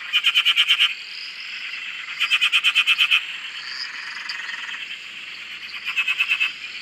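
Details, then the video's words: Pulsed frog calls at a dam in Australia, three loud bursts of rapid clicking croaks roughly two seconds apart, over a steady high chorus of distant frogs and some whistled notes. "Frog Chorus- Australia"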